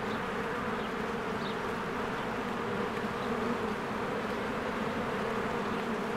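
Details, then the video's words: Honeybees swarming around their hive on a spring day, a steady loud collective buzz with no pauses, a few short faint bird chirps heard above the hum. "1 Hour of a Beehive ASMR"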